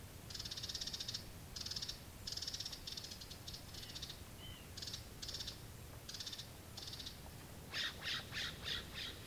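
A California ground squirrel calls in quick, high-pitched chattering trills, each burst lasting under a second with short gaps between. Near the end the bursts turn harsher and more clipped over a soft outdoor hiss.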